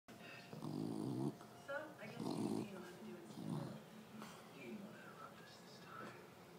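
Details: Dog dreaming in its sleep: three muffled, low grunting woofs in short bursts within the first four seconds, then softer murmuring sounds trailing off.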